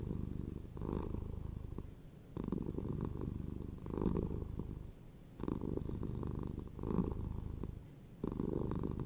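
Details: Cat's low, buzzing purr in long pulsing waves, each loud rumble lasting one to two seconds before easing into a softer pause, the cycle repeating evenly indoors.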